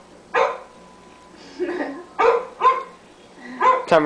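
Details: Small Shih Tzu dog barking at a computer indoors: a handful of short, sharp barks spaced irregularly across a few seconds, the last ones higher and yappier.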